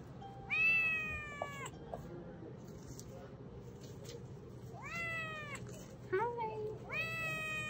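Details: A Ragdoll kitten, newly picked up and crying to be held by its new owner, gives loud, high, drawn-out meows that rise and then fall, repeated several times; purrs when held afterward.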